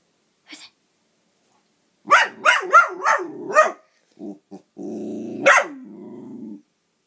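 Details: Sid the dog barking at a toy dog, a burst of five quick sharp barks, then short grunts, a low growl, one more loud bark and a trailing rumbling growl; a person asks "Who's it?" beforehand.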